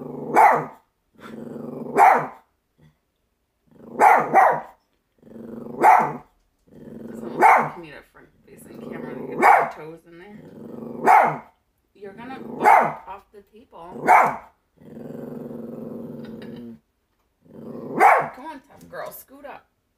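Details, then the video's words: A female Chihuahua barking at nothing before tumbling off a table: a long run of shrill barks, often in pairs, with gravelly growls filling the gaps and brief quiet breaks. "Barking (At Nothing) Herself Off the Table"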